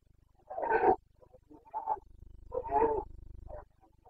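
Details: Rutting Carpathian red deer stag, Bucovina mountains, 29 September 2022 breeding season (boncănit): two deep, coarse bellowing roars about two seconds apart, each followed by shorter grunting pieces over a low steady hum.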